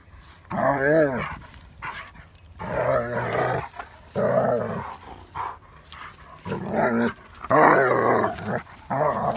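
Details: German Shepherd play-fighting with another dog, giving harmonic growls and barking bursts in about six loud bouts across the clip, with short pauses between them.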